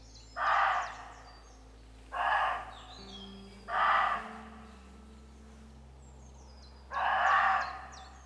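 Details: Roe deer calling back and forth for about 15 minutes give a series of hoarse, harsh barks, each about half a second long.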